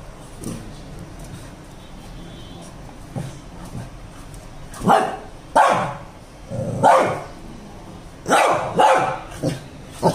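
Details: A Shih Tzu fighting with a balloon barks in short, sharp bursts, with several quick woofs in each burst.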